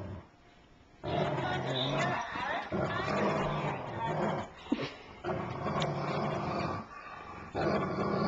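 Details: Great Dane named Hagrid tussling with Mudge, a labradoodle, over a Care Bear toy, giving sustained rumbling growls in long gritty stretches broken by short pauses, with faint voices behind.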